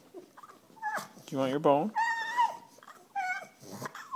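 A French Bulldog whines and grumbles in wavering, drawn-out tones, begging for a bone while a woman talks.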